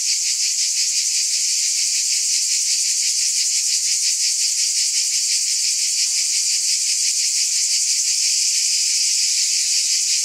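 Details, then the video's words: Cicadas in a steady, dense chorus of high buzzing with faint rapid pulsing and no pauses, energy concentrated in the upper register; no other sounds. "Scintillating Cicadas"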